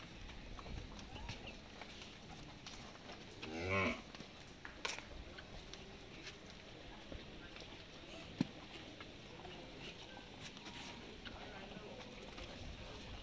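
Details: Cattle at a daily feeding of cows and monkeys at Gau Ghat, Mathura: a single short, low, harmonic moo near the four-second mark over a steady murmur of background noise, with scattered clicks and knocks.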